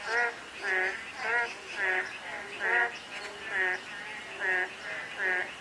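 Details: On a day of fine drizzle, frogs give buzzy, harmonic croaks in bursts about every half second to second, some overlapping, while soft rainfall hisses steadily beneath them.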